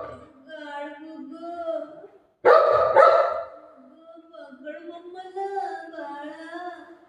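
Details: Pet Golden Retriever named Buzo giving one loud, harsh double bark midway, set between stretches of wavering, tonal voices or whines before and after.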